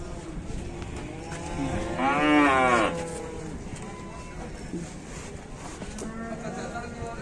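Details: A large 'super jumbo' cow at a cattle trading site, about to be loaded onto a truck and taken off again, gives one loud, drawn-out, strongly tonal moo midway, lasting about a second. People chat nearby and there is faint background bustle.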